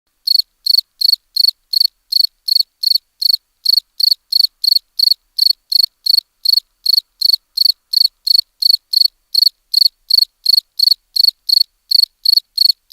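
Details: Cricket chirping in crisp, evenly spaced pulses, about three chirps per second, each a short high trill, steady throughout with no other sounds.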